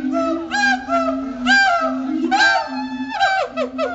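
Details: Captive siamangs at Riverbanks Zoo singing their territory-marking duet the day after Christmas: overlapping low booming hoots beneath rapid, loud barks that rise and fall in quick bursts.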